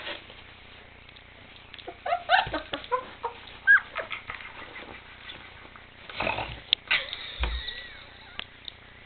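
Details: Male Bernese Mountain Dog puppies, 23 days old, barking a bit indoors: bursts of short, high, squeaky yips and whines come early on, then a second cluster later, with soft thumps and rustling between.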